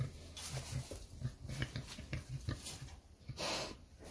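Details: Gray (Sur) Mangalica breeding boar on a farm in Miculești, Romania, giving a run of low, rhythmic pulsed grunts and snorts, several per second, with louder breathy huffs near the end; a man talks nearby.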